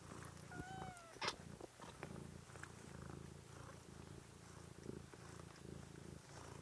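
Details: Kitten from a stream dated 13 March 2017, purring in a steady low rumble throughout, with one brief, high, downward-sliding mew near the start and a few soft clicks.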